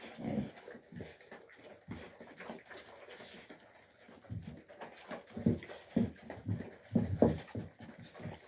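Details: Fighting Alabai pups, Fawn Alpha and Tiger, in winter 2023: deep gruff growls come in uneven bursts, louder and denser in the second half, mixed with huffing breaths and shuffling indoors.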